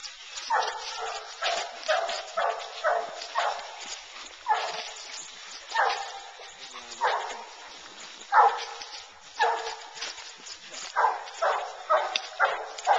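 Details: Two Bluetick Coonhounds hunting raccoon, treeing in the woods after running a track in corn; loud, ringing bays in quick bursts, some drawn out with a falling tail, repeated roughly every half second to second.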